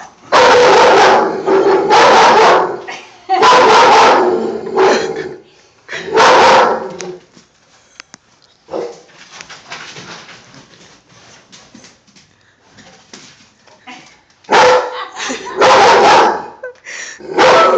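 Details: Dog barking repeatedly at an army man poster board, a series of loud harsh barks roughly every two seconds, a quieter stretch with a person talking and laughing, then another burst of barks.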